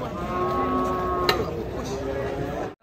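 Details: A raging bull at an Indonesian market draws a crowd of onlookers. A steady, droning low moo lasts about three seconds and ends in a sharp click. Constant background noise runs under it.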